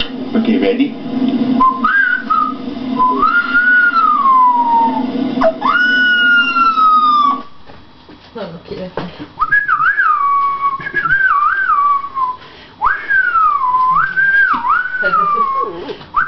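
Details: Rottweiler howling, a long wavering tone that slides down then rises in repeated bends, with a short pause midway and a human voice briefly heard.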